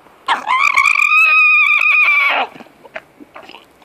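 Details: Diego the alpaca, objecting to sharing and letting everyone know, gives one loud, strained, harmonic-rich scream lasting about two seconds, holding steady and slightly rising mid-call, then breaking off into faint scattered noises.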